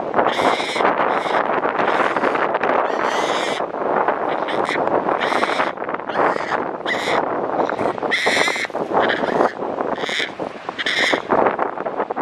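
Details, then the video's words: Monkey mother angrily guarding her baby: repeated short, harsh, screaming bursts arrive at irregular intervals, some louder and ringing, against a continuous noisy background of rustling and rumble. "Angry mom protecting baby monkey"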